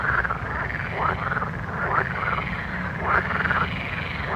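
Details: Night-time frogs giving quick pulsed croaks roughly every half second, blurred together into a busy chorus over a strong low background rumble.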